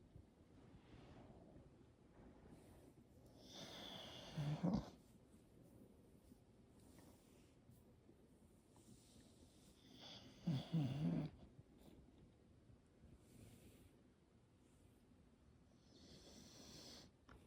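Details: Slumbering English Bulldog snoring while being petted: two deep, rattling snores about six seconds apart, each a short low rasp, with faint hissing breaths and light rustling of petting hands in between.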